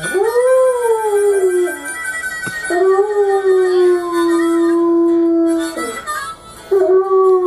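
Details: A Doberman howls along to harmonica blues: long, smooth, sustained howls that rise and then hold steady or slowly fall, three in a row, over continuous harmonica music.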